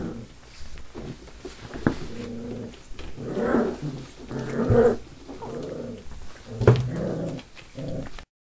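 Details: Young Labrador/hound mix pups, five weeks old and in rescue care, make rough, rumbling growls mixed with a few higher whimpering cries. The sounds come in uneven bursts, with sharp knocks and thumps in between.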